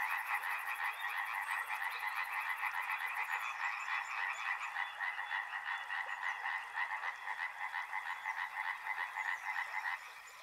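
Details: Massed frog chorus near a river: fast, rough, rattling croaks from many callers overlap steadily, then the chorus drops away sharply in the last half second.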